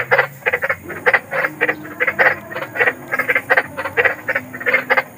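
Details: Big frog calling in the wild, offered as night-time sleep sound: a rapid series of short, harsh, rasping croaks, about four each second, some overlapping as if several frogs answer one another, over a faint steady hiss.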